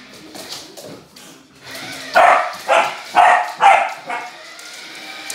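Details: Samoyed dog barking while playing with a remote-control car: four loud, sharp barks in quick succession about half a second apart, preceded by softer yips, with faint background noise.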